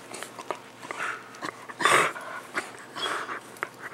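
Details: Two pet dogs, Max the miniature pinscher and Guinness, at play indoors; short growly and whiny vocal bursts, the loudest near the middle, mixed with scuffling and breathing in a small room.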